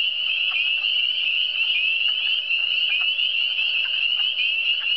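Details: Frogs chorusing in the Eastern Townships: steady high trilling from many animals at once, interrupted by short, lower croaks at irregular intervals over a continuous shrill background.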